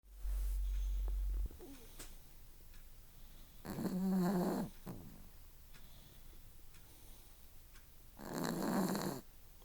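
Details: Four-year-old female Chihuahua snoring loudly while napping indoors; two long, rough, low snores a few seconds apart, with a brief louder bump at the start.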